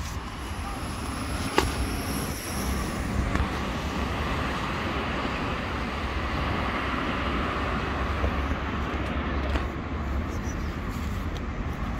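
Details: A continuous street traffic rumble dominates, with a brief high whine early on and a few sharp knocks, and no animal voices.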